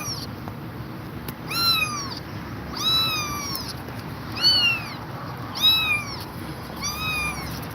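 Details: An exhausted mother cat staying with her kittens gives a series of five clear, loud, drawn-out meows, each rising then falling, spaced about one to one and a half seconds apart, with steady low background hiss.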